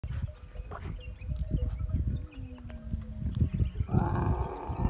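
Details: Camel in the masti rutting season: deep rumbling, gurgling pulses with a long low drawn tone sliding slightly downward, then a brighter moaning tone near the end.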